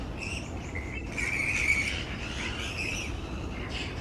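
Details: A large roosting colony of grey-headed flying foxes hanging upside down in tree branches makes steady, overlapping chatter. Nasal, squeaky notes of middling pitch swell and fade over several seconds, with higher harmonics above them and a low background rumble.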